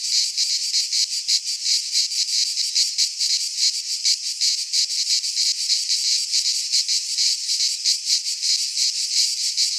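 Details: Midsummer chorus of cicadas in a pine forest in Greece, a continuous harsh shimmering drone that throbs in rapid, uneven pulses throughout, with nothing else audible.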